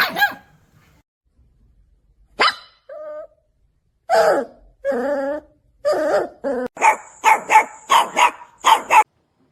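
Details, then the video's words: Puppies barking at the camera or an off-screen sound: isolated yips and whining barks at first, building into a fast series of sharp, evenly spaced barks with a steady high whine behind them. "Cute Puppies Barking Compilation"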